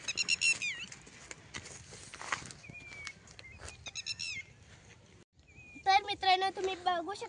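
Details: Goats taken out to graze on farmland; strongly quavering, wavering bleats near the end, with people talking throughout and thin whistled bird notes in the middle.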